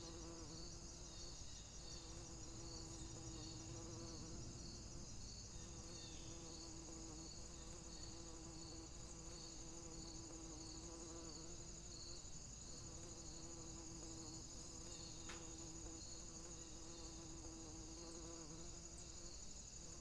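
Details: A bumblebee pollinating roses: a low, droning hum that comes and goes in stretches as it moves between flowers, over a constant high pulsing chorus of other insects.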